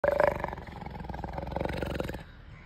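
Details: A leopard at Chandigarh zoo, India, gives a deep, gravelly roar that opens with a strong rasping burst, then breaks into rough, throbbing pulses before fading out abruptly.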